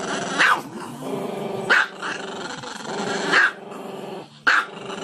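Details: Dog giving four loud, abrupt barks at roughly one-to-two-second intervals, with a steady rumbling, growl-like harmonic sound running underneath between the barks.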